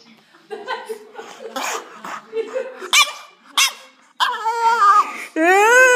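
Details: Little French bulldog copying a girl, with muttered low grumbles, short yips, then long wavering howl-like yowls near the end, the girl's voice alternating with the dog.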